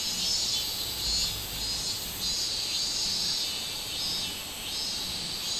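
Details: Buzzing song of the robust cicada, 24 July 2016. A shrill insect drone swells in broad pulses about once a second, while a fainter, higher rhythmic ticking runs over it throughout the short stretch.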